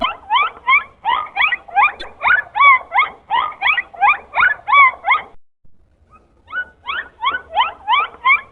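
Dolphin giving quick, squeaky whistles that sweep up and down, repeated about three times a second.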